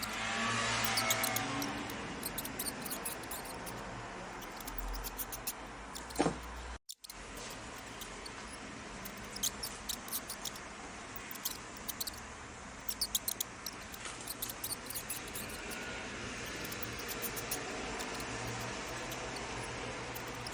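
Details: High, thin mouse squeaks come in quick scattered bursts over a constant background rush, with a louder whoosh at the start and a brief dropout partway through.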